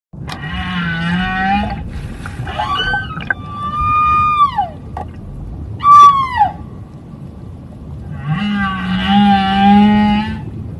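A whale sings in long, moaning tones with rich harmonics, some sliding downward into quick swoops.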